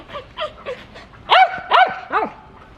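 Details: Shetland sheepdog with a few softer yips followed by three loud, ringing barks that rise and fall in pitch, each about half a second apart.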